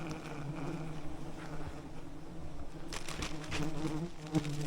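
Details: Thousands of wild bees covering a giant honeycomb high in a rainforest canopy, calmed with smoke by rope-suspended honey hunters; a steady low droning hum runs throughout, joined near the end by scraping and crackling handling noises.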